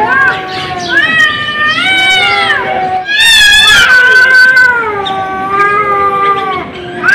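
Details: Cat giving long drawn-out yowls with wavering harmonic tones, one rising strained cry in the middle, sustained calls running almost continuously across the clip.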